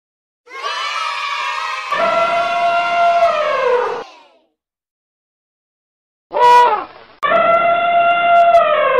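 An elephant trumpets in long, brassy blasts, broken by a short higher squeal.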